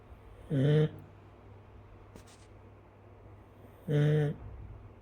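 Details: Chinese rural dog asleep and snoring indoors, heard snoring for the first time: two short low humming snorts about three seconds apart, with quiet room noise between.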